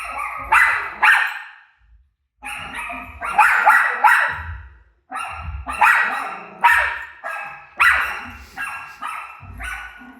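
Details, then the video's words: Rosie, a pet dog, barks at her own barking playing on TV: loud sharp barks in quick pairs and runs, pausing briefly near two seconds and five seconds, echoing in a room. "Crazy Rosie Barking At Her Barking Self On TV"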